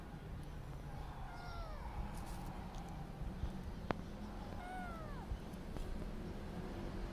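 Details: Kittens meowing: two thin, harmonic meows, each gliding downward and lasting about a second, spaced a few seconds apart over a low steady background rumble.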